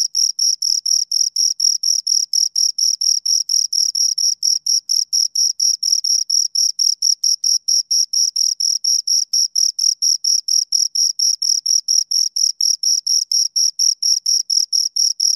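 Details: Close, loud chirping from two crickets: rapid, high-pitched rasping pulses about four a second, steady throughout with only slight variation in spacing, no other animals or noise.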